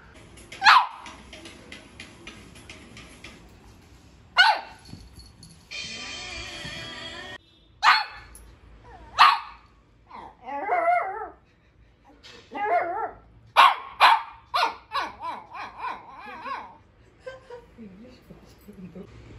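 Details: Shih Tzu puppy named Scooby, indoors during its daily routine with a new toy, gives sharp single barks a few seconds apart, mixed with wavering whiny yips and a stretch of buzzy squeaking, with music faintly underneath.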